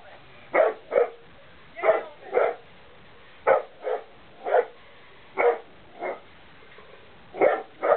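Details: A hound dog gives repeated loud, gruff barks, mostly in pairs about half a second apart, with short pauses between the bouts.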